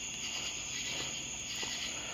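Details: At night in a neighbour's yard, common true katydids call in a dense, raspy, high-pitched chorus, louder and seemingly a little faster than those elsewhere, perhaps from warmer conditions.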